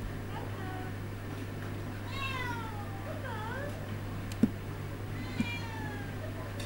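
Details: Coco, a male Siamese cat, indoors working to open a door with encouragement from the other side, Toby the Bull Terrier nearby: several drawn-out, falling, slightly wavering meows, two close together then another, over a steady low hum, with brief speech and two sharp clicks.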